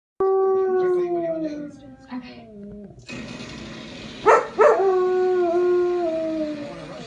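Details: German Shepherd dog indoors howling while watching a TV game show: a long, clear, tonal howl sliding slowly downward, then a second sustained falling howl after a couple of sharp yelps, with TV audio underneath.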